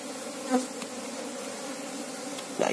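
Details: Apis cerana, the Asian honey bee, humming during a queen search: a brief, constant low buzz with a bright overtone, broken by a soft knock early and a louder bump at the end.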